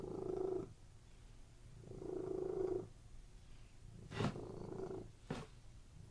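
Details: Relaxed domestic cats lying on a bed purr in soft, separate bursts about two seconds apart, with two sharp clicks near the end.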